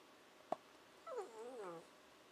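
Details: Nanako, a female Shiba Inu puppy aged 14 to 15 weeks, 'talks' indoors, a habit that signals she wants breakfast or dinner: one wavering, yodel-like whine of about three-quarters of a second, rising and falling, after a sharp click, with a person speaking around it.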